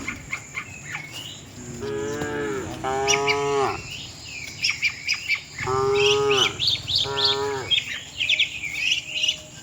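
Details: Tame cows heading to their shed together as a herd: four drawn-out, deep harmonic moos in two pairs, with busy bird chirps and tweets between them and a continuous high insect tone.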